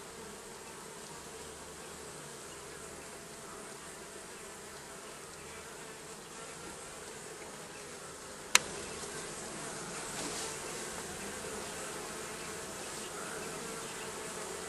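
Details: Bees under roofing, a steady dense buzzing hum with a faint band near the low-middle range; a sharp click partway through, after which the buzz grows slightly louder and fuller.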